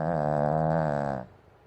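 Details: Sleeping Pomeranian curled up in a banana bed lets out a deep, rumbling snore, a steady buzzing tone held for about a second before ending abruptly, leaving soft indoor quiet.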